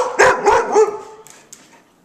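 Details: Puppies said to be missing their mother give three quick, high barks in under a second, then the sound fades to quiet.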